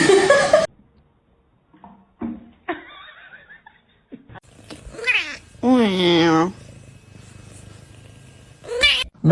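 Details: A cat lets out a long wavering meow amid human talk and laughter, with a few shorter cries at the start and end of the stretch.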